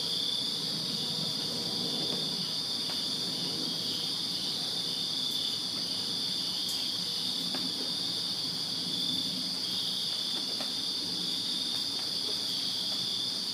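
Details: Crickets chirping in a backyard on a summer night in Virginia, a dense continuous high-pitched trilling chorus with a second faint high band above, steady throughout, with soft low background rumble.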